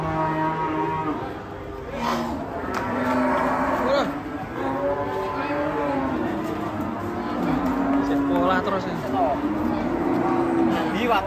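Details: Raging cow, its neck choked by a tight rope, charging at an old man; drawn-out wavering moos rise and fall over steady background music, with laughter and voices nearby.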